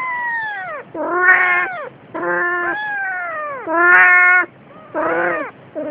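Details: Siamese mother cat carrying a days-old kitten, calling in a rapid series of harmonically rich meows, some bending downward and others level and bright, five or six calls in six seconds with brief pauses between.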